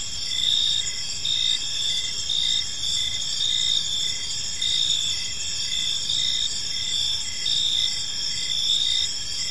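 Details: Evening park chorus of crickets, a dense high shrill trill held throughout, with short louder pulses about every second layered over it and soft low environmental rumble underneath.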